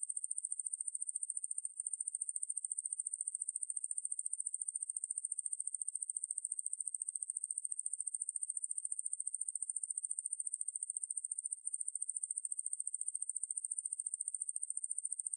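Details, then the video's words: Sustained, piercing insect buzz from Ruspolia lineosa, credited to the National Institute of Biological Resources in 2020; rapid uniform pulses hold at one high pitch for fifteen seconds, interrupted only by two short dips. "왕매부리, 여러번 듣기, 곤충소리"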